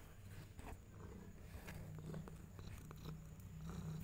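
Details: Domestic mother cat, possessive of her kittens, giving a soft, steady low rumbling purr throughout, with faint rustling and small clicks close by.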